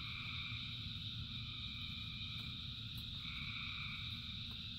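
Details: Thousands of frogs singing in the rain form a continuous shimmering drone, with a high steady band and mid-pitched trills that switch on and off, all above a constant low patter and rumble.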